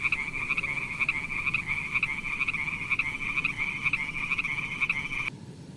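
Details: Frogs in a beautiful pond produce a high, rattling trill of rapid pulses with regular louder beats about twice a second, cut off suddenly after five seconds, followed by low noise.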